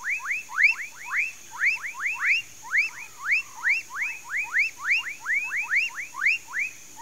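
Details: Rising, slurred whoop calls of amphibians in a Mauritia flexuosa palm tree swamp, Pedro Gomes, Mato Grosso do Sul, Brazil, delivered in clustered pairs and triplets over seven seconds, with a quiet steady hum behind.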